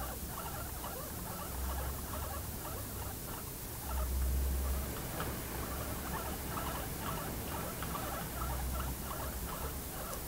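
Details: Pet guinea pigs kept together at home: short, soft chuttering notes repeated in quick runs at a middle pitch, a brief pause midway, over steady hiss and low background rumble.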